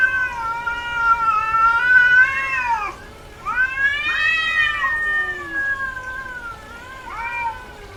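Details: Domestic cat, female in heat, meowing persistently: two long, arched meows of two to three seconds, then a shorter, quieter one, then a brief rising call.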